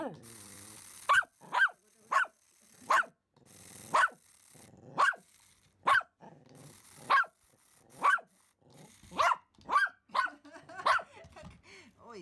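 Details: Excited Pomeranian Simba barking at a remote-control toy rat seen for the first time: a steady run of about a dozen sharp, high barks roughly every second, growing quicker toward the end.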